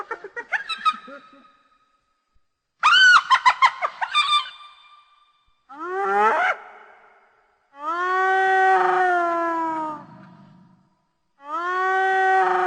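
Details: Hyena laughing, a call said to build social bonds between pack members: quick, stuttering high-pitched giggles and yelps, a falling cry, then two long, sustained harmonic whoops with a slight downward bend.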